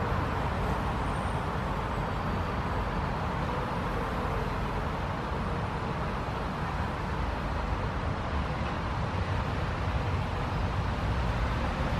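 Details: A continuous low roar of road traffic fills the recording from start to finish. No animal calls or buzzing stand out above it.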